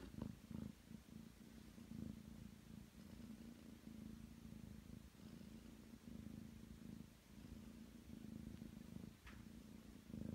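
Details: Ragdoll cat, nine months old, purring while settling on a bed to knead; a steady low rumbling purr runs the whole time in a quiet indoor room, swelling slightly with each breath.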